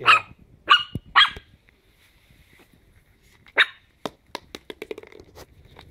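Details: Playing Chihuahua puppies, ten weeks old, give three high-pitched yaps in quick succession, go quiet, then one more yap followed by a scatter of sharp taps and small squeaks.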